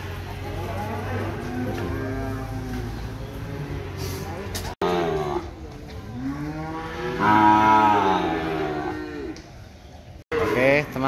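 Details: Cattle at a cattle market in Ambarketawang, Gamping, Jogja: several long, low, drawn-out moos with rising and falling harmonic bands, overlapping one another, amid crowd chatter and market noise, with brief cuts in the sound.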